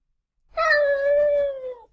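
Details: A domestic cat gives a yowl or moan, a type of howl that signals discomfort and worry. It is a single drawn-out, harsh cry, darker than a meow, that sags slightly in pitch toward the end.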